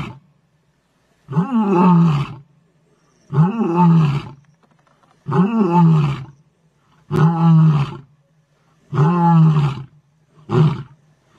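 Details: Big male lion Nhenha gives deep, rumbling roars in a steady series, each about a second long.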